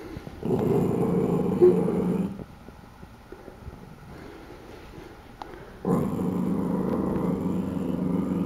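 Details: A corgi puppy, scared of a mug with a corgi on it, barks at it: two long rumbling growls, each about two seconds, separated by a quiet pause of several seconds.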